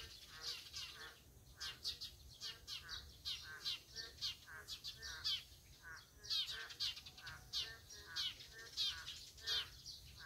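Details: Boreal digging frogs calling in a dense chorus: short, nasal, harmonic pulses overlap continuously, with several callers answering one another about twice a second over a steady faint background hiss.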